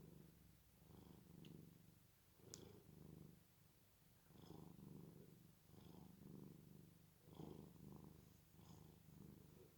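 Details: Domestic cat asleep, snoring in low, rasping rhythmic breaths that swell and fade every second or so, with a brief click near the middle and otherwise quiet surroundings.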